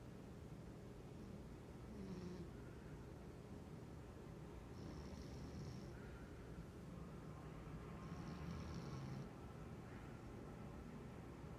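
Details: Domestic cat snoring while dreaming in the middle of the day, also twitching in its sleep: soft low rumbling with airy, hissing exhalations about every three seconds in a quiet room.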